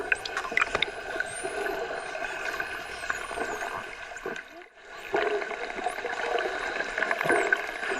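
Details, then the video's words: Dolphins submerged in the ocean making an odd, vague noise: thin high whistles sweeping up and down, dense crackling clicks and buzzy pulse trains over gurgling water, with a brief lull near the middle. "Dolphin 🐬 makes an odd noise while Submerged"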